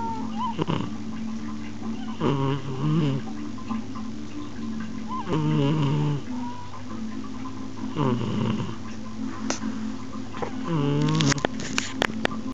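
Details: An eleven-year-old cat asleep, recorded on an Xperia smartphone, snores in low, raspy, buzzy breaths about every three seconds, each with a slightly rough harmonic tone, over a steady background hum and a few faint clicks near the end.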